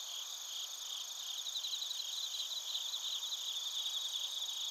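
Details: High, rapid pulsed chirps of bell crickets and other crickets come in irregular bursts over a continuous shrill insect chorus. Recorded in Narita, Chiba Prefecture, Japan.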